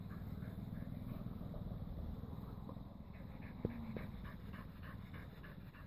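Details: A blue Staffordshire Bull Terrier pants after a walk in quick, breathy huffs, about four each second.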